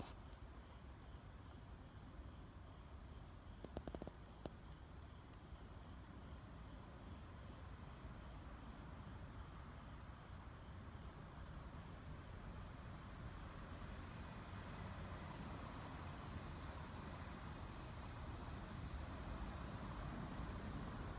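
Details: A kanetataki cricket calls at night, recorded on 26 October 2019, with a high, steady insect tone over low rumbling background noise.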